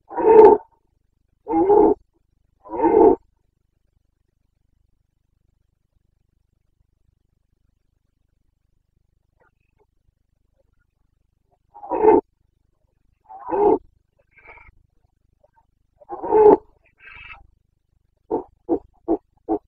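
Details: Carpathian red deer stag during the 29 September 2022 rut (boncănit) in Bucovina: three hoarse roars, a long silence, three more spaced bellows, then four quick clipped grunts to close.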